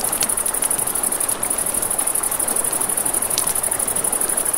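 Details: Riverside crickets at night keep up a bright, fast-pulsed trill, while a campfire crackles with a few louder pops over steady water noise.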